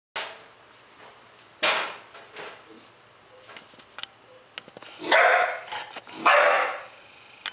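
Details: A roughly 3-month-old Bull Terrier puppy that was playing sees its owner and gives short barks and longer, high whining yelps, wanting to be let out.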